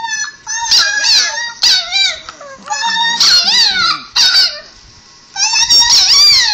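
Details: Pet Chihuahua reacting loudly to a recording of himself saying 'i love you'; bursts of high, wavering, bent howl-like yowls, several phrases separated by short pauses, one longer quiet gap near the end.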